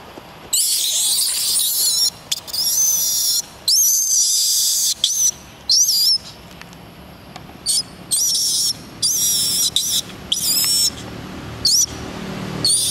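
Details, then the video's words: Young monkey calling out to its mother for help, crying in a run of loud, shrill, whistled squeals, each lasting about half a second to a second, coming back-to-back with short gaps and some wavering in pitch. "Little monkey crying asks for help from mother"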